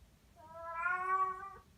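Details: Domestic cat named Eva, a mackerel-and-white (sabashiro) cat aged three to ten months, giving one drawn-out harmonic meow that swells and fades over about a second in a quiet room.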